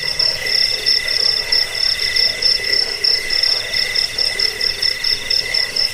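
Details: Cricket sound meant to chase off rats, lull to sleep and tutor cage birds: high, rapid pulsed chirps in a continuous layered chorus, rhythmic swells about once per second, nothing else audible.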